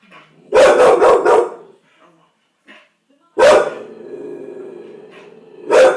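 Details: Bull Terrier barking in a fit of agitation: a burst of rapid harsh barks, a pause, then a long drawn-out howling bark fading slowly, and another bark at the end.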